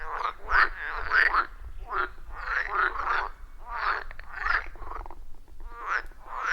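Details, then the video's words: Frogs in full chorus at a quiet forest pond, recorded in real time on an iPhone 14 Pro and Shure MV88+: loud, rasping croaks in rapid clustered bursts, about a hundred a minute, voices overlapping. "30 Minutes of Frog Sounds at a Forest Pond"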